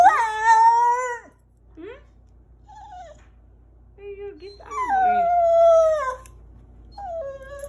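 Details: Small Rat Terrier dog howling as he greets his owner in a parking lot: two long, clear, tonal howls, the first level then dropping, the second gliding slowly downward, with short whiny yelps between them.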